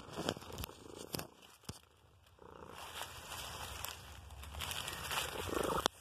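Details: Gray male cat purring outdoors on a walk in the woods, rolling over for tummy rubs and reaching toward the phone while being petted; soft, low, steady rumble, quiet throughout, with rustling and sharp handling clicks around it.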